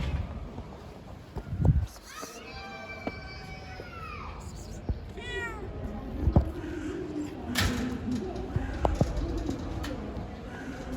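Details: Female domestic cat in heat calling to mate, making strange noises: a long drawn-out harmonic meow bending downward, followed by a shorter wavering cry, with thumps and faint background noise around it.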